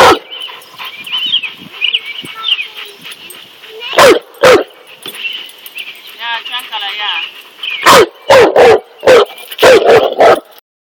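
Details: Cane Corso confronting a snake: quiet opening with soft voices and a brief warbling sound, then two loud barks, a pause, and a final run of five heavy barks.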